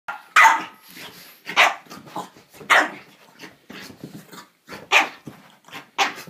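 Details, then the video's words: French bulldog barking indoors, unsure of a tiger toy: six short, harsh barks spaced about a second apart, with soft sounds in between and a person speaking afterward. "French bulldog feeling brave again"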